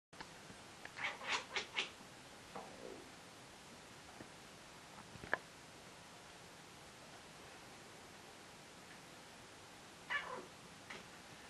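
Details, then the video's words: Domestic cat calling indoors while hunting: a quick burst of about four short, bright chirps early on, a faint lower note after, then a long quiet stretch and a second brief chirpy outburst near the end, over a hushed room. "Funny cat making a hilarious sound while "hunting""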